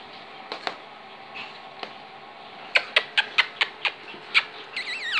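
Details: Five-week-old long-haired pedigree Chihuahua puppies from the litter of Jolie mome du diamant d'or, indoors: a quick run of sharp clicking ticks and short yips, ending in a high, wavering squeal that rises and falls twice.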